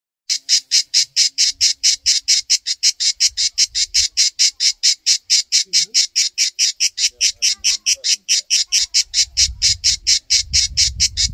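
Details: Cicada on a backyard tree sings in harsh, high buzzing pulses, repeated steadily about three times a second.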